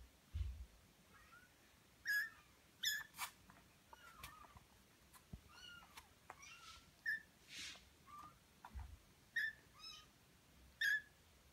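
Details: Baby Birman cat, a kitten on its 27th day, playing: many short, high squeaky mews and chirps, some bending up then down, coming in irregular bursts every second or so, among soft clicks and a few low thumps.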